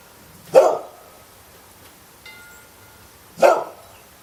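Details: Domestic dog barking twice, two sharp single barks about three seconds apart over a quiet background.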